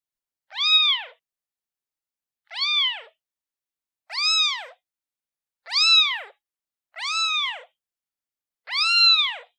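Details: Six short, plaintive meows from a newborn kitten calling its mother, arching up and down in pitch at uneven intervals of one to two seconds, separated by complete quiet.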